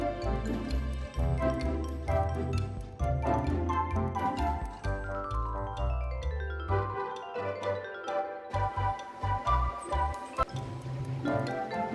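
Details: Bright mallet-percussion music like marimba and glockenspiel plays in bouncy phrases, with no animal voices.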